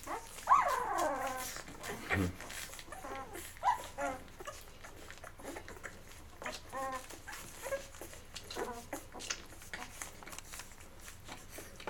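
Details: Eleven-day-old Labrador Retriever puppies, Mocha's litter, eating until full then settling to sleep indoors; a sharp squeal opens, followed by scattered short whimpers among soft rustling and suckling clicks.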